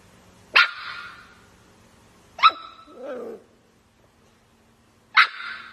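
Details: Playful miniature dachshund indoors giving three sharp, high barks spaced about two seconds apart, each ringing briefly with a bright tail, plus a short low grumble after the second bark; otherwise a quiet room with a faint hum.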